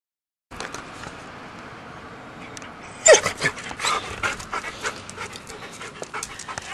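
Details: Denver, a pet dog, panting: quiet breathy rasps at first, then louder, rapid broadband huffs in quick irregular bursts through the second half, with a brief sharp squeak at the start of that stretch.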